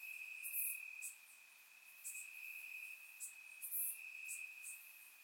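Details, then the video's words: On a warm summer night in Bulgaria, crickets chirp in the grass; a constant high-pitched trill is joined by brief piercing chirps about once a second, with two stronger bursts standing out. "Cricket Sounds - Crickets Chirping at Night"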